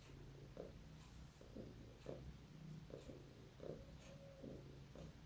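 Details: Sleeping, dreaming pet cat indoors making soft snorting, snuffling breaths with small chirping squeaks, repeated roughly every half second over a low room hum.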